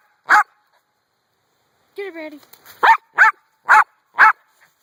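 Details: Pet dog Brandy barking at a rock: one sharp bark, a brief higher human-like voice with layered tones, then four quick loud barks about half a second apart.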